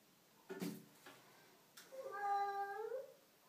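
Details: Domestic cat in a bathroom giving one drawn-out meow, a harmonic-rich tone that holds steady then rises slightly at the end over about a second, following a few short knocks and rustles in a small echoing room.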